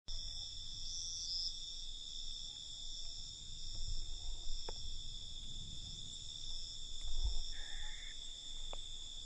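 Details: Crickets at night: steady, continuous high-pitched trilling in several layered bands, with brief brighter chirps near the start and a short higher tone around seven seconds; low rumbling background noise throughout.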